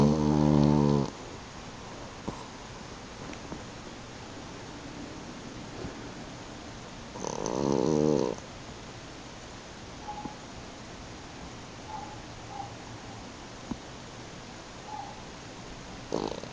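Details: A French Bulldog napping on a couch snores with low, rumbling, throaty breaths separated by long quiet pauses.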